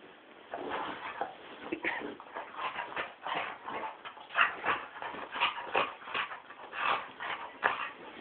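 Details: Mumrik, a Tibetan Terrier, going nuts: a restless run of yelping whimpers and short barks, irregular bursts roughly one per second for eight seconds, some louder peaks standing out.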